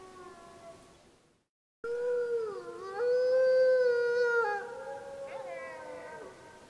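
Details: Snake River pack wolves, Summit Ridge area of Wallowa County, July 25, 2012, packmates answering a pup's howls: a brief gap, then sustained overlapping tonal howls, one voice dipping then holding level with rich harmonics, others wavering above.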